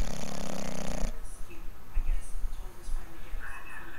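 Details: Sleeping English bulldog snoring: a loud, rough, buzzy snore with stacked low tones for about a second, then quieter breathing with faint rustles and soft higher sounds in the background.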